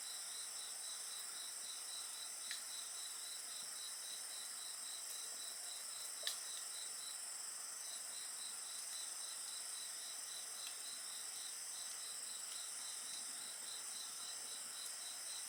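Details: Continuous insect chorus by a bonfire, with a fast pulsed chirp briefly pausing mid-way then resuming, constant high-pitched ringing trills above, and a couple of loud wood pops.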